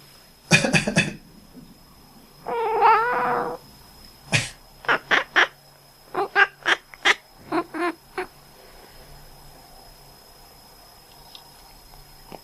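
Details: Domestic cat that makes quacking calls whenever its owner coughs or sneezes, usually while sleeping or resting: a cough, a longer wavering nasal call, then a rapid series of short clipped quack-like chirps, about ten in all.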